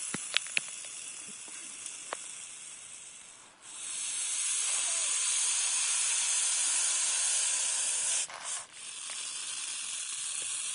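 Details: Eastern hognose snake, a harmless species of regional conservation concern in the northeastern United States, playing dead. After scattered clicks, a steady breathy hiss rises and holds for about four seconds, drops away briefly, then resumes.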